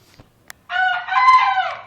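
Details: Kept bekisar crowing loudly and clearly: a sustained, strained, harmonic-rich crow of just over a second that wavers slightly in pitch, preceded by a couple of faint clicks.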